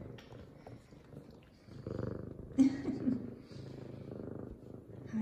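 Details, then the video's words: F2 Savannah cat Zara, a female, indoors and happy and excited just after her morning shower; a low, steady rumbling purr runs under the whole stretch, with a brief louder voiced sound midway and a woman talking softly nearby. "Happy Excited Meows And Purrs From F2 Savannah Cat Zara!"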